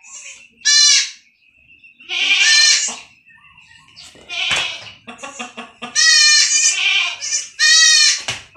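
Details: Kids, young farmed goats, cry out during iron injections given against stunting: a rapid series of loud, tremulous, harmonic bleats, some short and some drawn out, with a few brief clicks and handling sounds.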